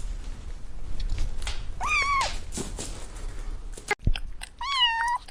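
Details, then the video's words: A kitten among butterflies on the grass gives two rising-then-falling meows about three seconds apart, with a brief click between them and background hiss. "Adorable Kittens Stalking and Chasing Butterflies on the Grass – Meowing Sounds"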